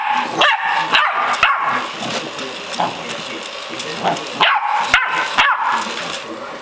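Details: Rocsi, a 12-week-old female Staffordshire Bull Terrier puppy, trying to get her bed back from a robot dog: short, sharp high yips and barks in quick bursts of two or three, over television sports commentary in the background.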